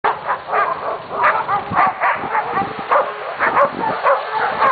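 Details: A pack of dogs howling together, heard as a chorus of overlapping yelps and short wavering howls that rise and fall in quick bursts, roughly two per second, with mid-pitched tonal notes mixed with rough barky edges.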